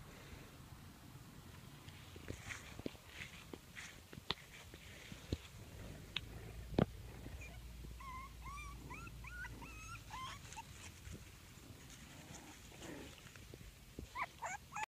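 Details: Five-week-old English Bulldog puppies from the Pebbles & BamBam litter, born 9/7/14, playing indoors: a run of short, squeaky, rising whimpers and little yips midway, over a steady low room hum with scattered thumps.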